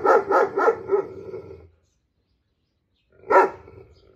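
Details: A German Shepherd barking extremely loud to his dog friend (he likes to bark and talk with other dogs) gives a quick run of four deep, harsh barks, then one more after a pause.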